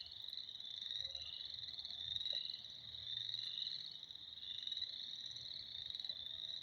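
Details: Frogs in spring form a steady chorus, an unbroken shrill trilling from many callers layered into a single high, pulsing wall of sound, with a faint low rumble beneath.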